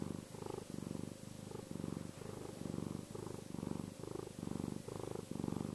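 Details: Domestic cat purring contentedly: a steady low rumbling purr pulsing in regular in-and-out breaths, roughly one cycle per second, close and continuous with a faint steady hum behind.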